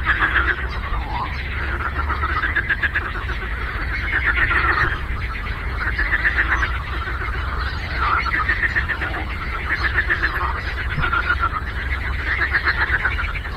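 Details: Many frogs croak on a lake in a continuous chorus of fast, rattling pulse trains that surge and ebb in repeated waves, with a few short downward-sliding calls and a steady low rumble.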